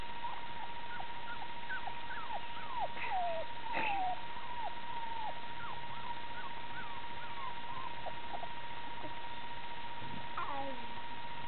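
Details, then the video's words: Golden Retriever puppies crowding around a toddler give a run of short, high squeaks that slide downward, coming in quick, uneven succession over a steady background tone. "Puppy squeaks"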